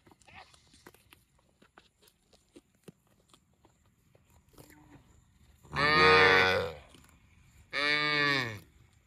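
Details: Cow mooing twice: two loud, harmonically rich bellows of about two seconds and one second, rising then falling, after quiet rustling and faint clicks.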